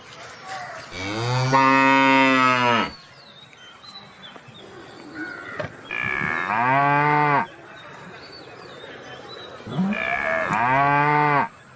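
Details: Three long, loud moos from a cow, each lasting about one and a half to two seconds and spaced about four seconds apart, deep and harmonically rich, with quiet background between calls.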